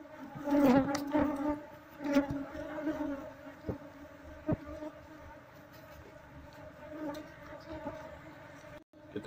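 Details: Honey bee colony nesting inside a wall, exposed while the wall is opened to find the queen. A steady low droning hum, with swells and fades, is overlaid by sharp knocks and scraping from the work.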